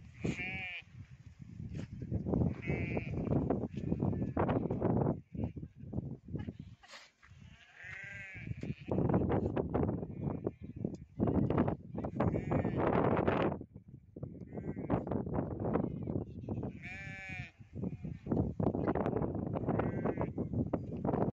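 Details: Several goats on a village farm keeping goats and sheep call repeatedly. Their bleats are quavering and nasal, some high and strained, overlapping at irregular intervals over constant shuffling, thumping and herd noise.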